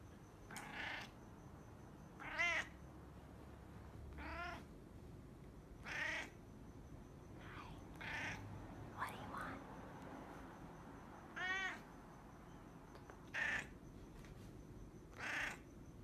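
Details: A brown domestic cat indoors meowing repeatedly, short wavering mews spaced a second or two apart, some rising and falling, over a faint steady background hum.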